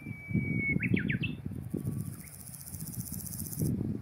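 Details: A Nakiinago grasshopper in mountain grassland sings a thin, high, finely pulsed buzz of about two seconds, made by rubbing forewing veins against the hind femur, often rendered "shaka-shaka" or "ja-ja-ja"; a bird chirps first.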